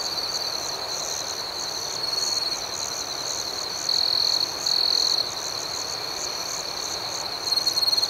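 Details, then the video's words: Crickets chirping at night: a steady, high-pitched trill with a faster pulsing layer of chirps about four per second above it, and brief louder tones near the fourth and fifth seconds and again at the end. "Soothing Cricket Sounds"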